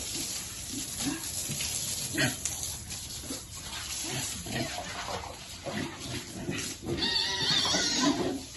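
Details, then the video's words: Piglets enjoying cool water, happy; scattered short grunts give way to a higher, strained squeal near the end, with splashing and a voice nearby. "Piglets like cool water and are happy."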